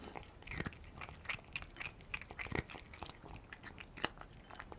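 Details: House cat chewing Dreamies cheese-flavour dry kibble treats indoors; rapid dense crunching, crisp bright cracks several per second with softer mouth clicks between, close and steady in a quiet room.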